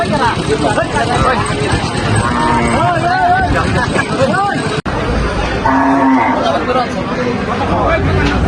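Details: Cattle at a century-old historic cattle market in Manikganj, Bangladesh, in 2024: drawn-out, wavering lowing moos rise and fall through the crowd, with constant human chatter and passing vehicles filling the background.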